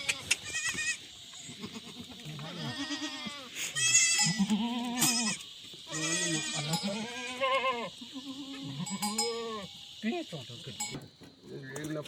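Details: Himalayan goats at a goat farm in a jungle, Uttarakhand village, India, bleating repeatedly in wavering, quavering calls, about eight bleats in twelve seconds, over a constant high-pitched buzz and occasional clicks.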